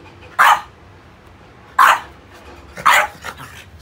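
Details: French Bulldog playing with rubber toys gives three short, sharp barks spaced roughly a second and a half apart, the last followed by a softer grunt, with quiet in between.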